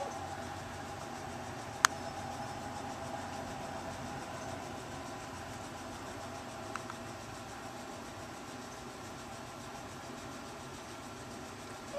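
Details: Steady mechanical hum with two brief clicks, and no animal voice audible.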